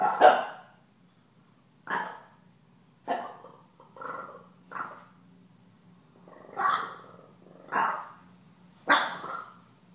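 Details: Puppy barks at a taunting cat indoors: seven short, harsh bursts spaced one to two seconds apart, some with a growly edge, over a quiet room with a faint steady hum.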